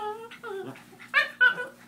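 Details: A female Chihuahua, jealous while a Doberman is being petted indoors, gives strange, wavering whines and moans.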